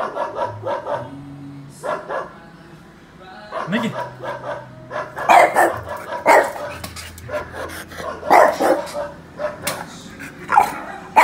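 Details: Domestic dog barking played to Miki, a French bulldog, in Indonesia to see his response: irregular barks that grow louder and more frequent after the midpoint, mixed with background music and some voices.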